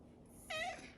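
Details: Pet cat, a chubby domestic shorthair, vocalising while demanding more petting indoors: a single short wavering meow with strong stacked harmonics, about a quarter second long, over quiet room hiss.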